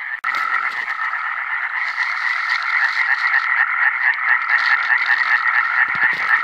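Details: Iberian tree frog (Hyla molleri), 2017 encounters: loud, continuous rasping croaks delivered in quick succession, forming a buzzy, pulsing chorus with a few faint low thumps in the background.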